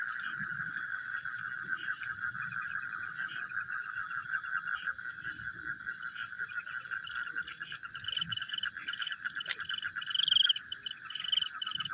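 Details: Frogs calling at night: a dense, steady chorus of fast pulsing croaks, with faint higher tones above and a brief louder burst near the end.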